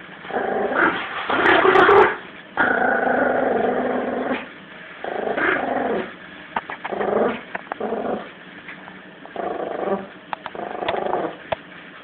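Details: Seventeen-week-old Yorkshire Terrier puppy named Lulu growling during a tug of war with Jack Russell Eddie; rough, harmonic-rich growls come in bursts of one to two seconds, the loudest near the start, with short quieter gaps between.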